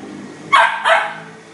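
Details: A 2.5-month-old male Labrador Retriever puppy, back in his cage after a sit-training session, gives two quick, sharp puppy barks in close succession.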